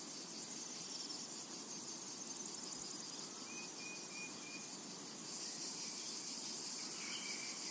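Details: A steady high-pitched cicada drone fills a summer meadow, briefly strengthening partway through, while a couple of faint level bird whistles sound in the background.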